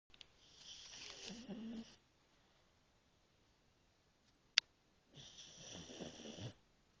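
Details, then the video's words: A pug falling asleep in his crate after a long day, snoring indoors: two long breathy rasping snores about five seconds apart, with a brief click between them. "Pug Snoring Away After A Long Day"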